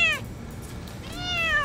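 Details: A domestic cat stuck in a tree for two days gives distress calls while a rescuer coaxes it down: two tonal meows, a brief falling one and then a longer, drawn-out descending cry.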